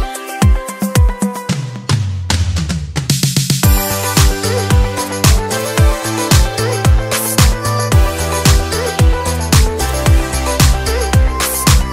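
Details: Upbeat dance music with a strong, steady drum beat of about two beats per second and bass and synth lines; no animal can be heard.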